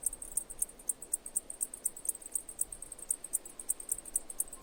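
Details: High, thin cicada chirps pulsing at a brisk, regular pace, each note brief and bright, against a calm, faintly hissing background.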